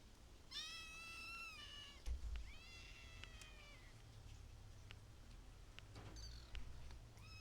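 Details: Kittens meowing: a long, clear, slightly wavering meow, then a second drawn-out one that slides downward, and a short squeak near the end, over a steady low indoor rumble.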